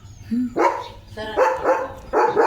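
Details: German Shepherd dog indoors, excited while a box brought for its health is opened; four short harmonic barks in two seconds, the last ones closely paired, with people talking and some music nearby.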